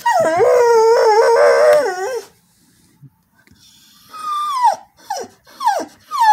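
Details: A female Border Collie sings for no known reason. A loud, two-second warbling howl wavers up and down, followed by a quiet pause, then several sharp yelps that sweep steeply downward.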